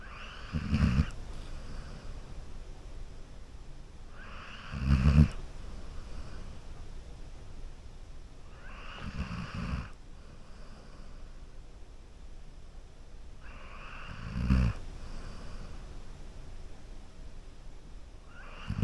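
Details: Golden Retriever sleeping on a couch, snoring in slow, low rumbling breaths about every four to five seconds, each snore a short throaty snort with a softer breathy tail, quiet between breaths.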